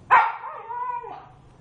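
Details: Household pet dog, apparently Nina, lets out one sharp bark that trails into a drawn-out tonal whine as she is told to stay home; quiet room behind.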